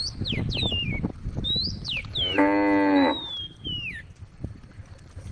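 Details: A female cow calls as cows wander along a road at a forest edge; one short, harmonic moo under a second long rises through many bright, whistled bird notes.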